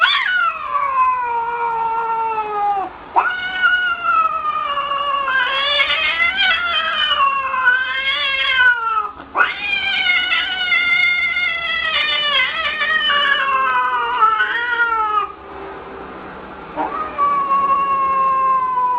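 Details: Angry domestic cat yowling almost without pause, long drawn-out wailing cries that slide up and down in pitch, with brief breaks near three, nine and fifteen seconds before each new rising howl.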